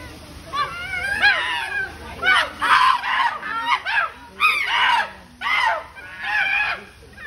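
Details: Food quarrel among chimpanzees at the Oregon Zoo: a run of loud, strained, rising-and-falling screams, roughly one every two seconds, with several animals crying over one another.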